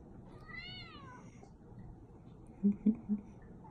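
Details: Indoor Persian cat asking for a treat gives a single short, wavering meow, then a pause and three dull thumps close by.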